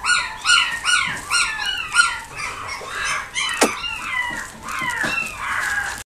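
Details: Black female Pomeranian giving high, thin yips and whines, each sliding downward in pitch, in quick bursts of about two or three per second, then longer drawn-out whining cries toward the end.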